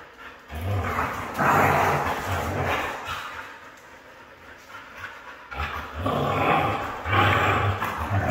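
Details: Red female Siberian Husky giving harsh, grumbling vocal bursts, one long phrase near the start and another toward the end, separated by a quieter stretch; rough, throaty tone with a low hum underneath.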